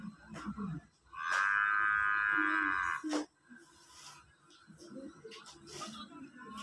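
A water buffalo gives a loud, strained, steady bellow lasting about two seconds.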